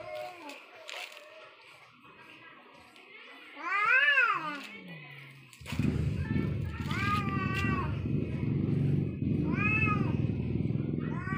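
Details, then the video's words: Angry cats in a deadly fight: a rising-and-falling meow-like wail near four seconds, then loud, rumbling growls under repeated arched yowls that rise and fall every second or so, with some voices in the background. "Deadly fight between cat🐈 angry cat😾"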